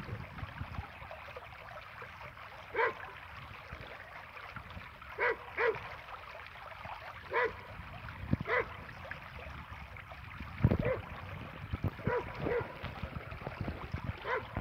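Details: Happy, a Border Collie, playing a ball game alone with a tennis ball. Short, low barks come in irregular bursts, singly and in pairs, over a steady background hiss like running water.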